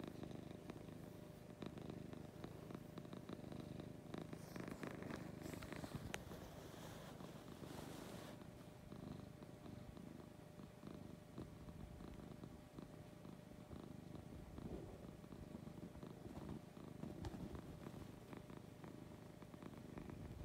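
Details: Lucy, a sweet pet cat, purring through a morning: a steady deep rumble with breathing pulses, a burst of rustling movement early on, then the purr settles into an even drone.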